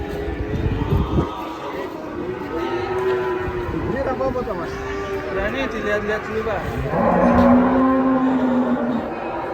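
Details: Big cattle coming off a truck for weighing at a market; a long, low moo rises late in the recording, preceded by crowd chatter and music throughout.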